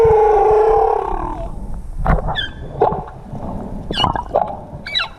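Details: Humpback whales in Tonga, 2017, recorded while swimming with them: a drawn-out, tonal moan rich in overtones, then quick sweeping whoops and squeals gliding steeply up or down, over a low rumbling wash of water.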